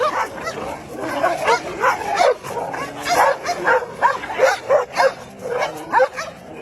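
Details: Rapid, relentless barking from an angry dog, with short mid-pitched yaps tumbling over one another at a steady quick pace for several seconds.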